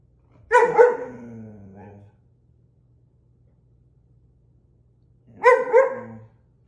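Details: German Shepherd being pranked lets out two separate whining howls about five seconds apart, each a sharp onset sliding down into a lower drawn-out moan, with silence between.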